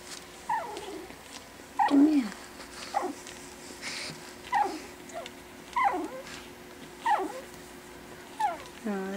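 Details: Four 4-week-old Pekingese puppies playing together after dinner for the first time; short high whimpers and squeaky yelps repeat roughly every second, some with clear harmonic bands, over a quiet indoor background.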